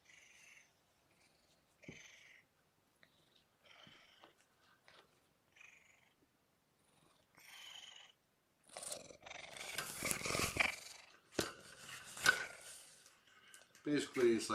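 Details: Indoor kittens Mimosa and Champagne during a visit from the adult cat Uncle Kougra, in a small room; a string of soft short mews at first, then loud, rough purring and rustling close by.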